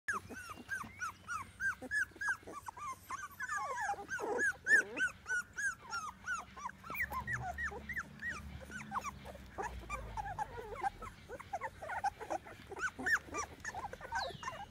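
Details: Chocolate Labrador Retriever puppies, 21 days old, from a breeding kennel in Seville, Spain, filmed 21 January 2018; a litter producing constant overlapping high whimpers and squeaks, rapid and irregular, with occasional low grunts throughout.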